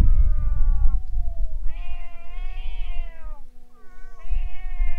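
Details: Stray cats fighting before a boat, then fleeing: overlapping long moaning yowls from more than one cat, one wavering high and another held low, with low rumbling noise beneath.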